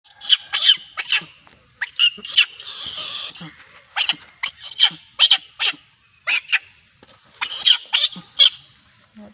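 A monkey screams in shrill, harsh bursts, each brief and repeated in quick, irregular succession.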